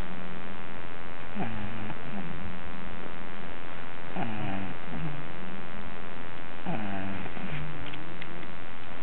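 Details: Sleeping pet dog Luke gives steady piglet-like snores, three rattling nasal inhalations spaced roughly two and a half seconds apart, each trailing into a quieter wheezy exhale; nothing else audible.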